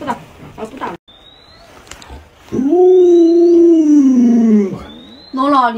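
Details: Alaskan Malamute named Luoluo, a pet dog, playing hide and seek with its owner. After brief human speech comes a long, smooth, wavering howl that slowly falls in pitch over about two seconds, then a short howl starts at the end.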